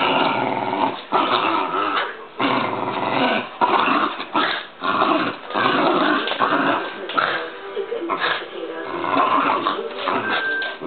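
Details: Pet dog at home growling during play with its owner, a man; rough, rumbling growls come in bursts throughout, separated by brief pauses, with occasional human speech mixed in, indoors.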